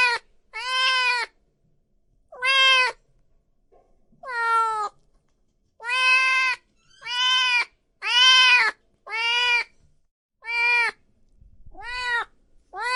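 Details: Cats and kittens meowing loudly, nine clean harmonic meows spaced roughly one to two seconds apart, each rising then falling slightly, bright and piercing, with near silence between them.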